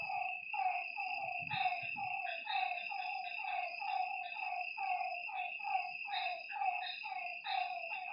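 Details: Frogs at a lakeside after dark give a steady stream of falling croaks, roughly one per second from several animals, layered over a continuous high-pitched insect buzz and brief low rumbles early on.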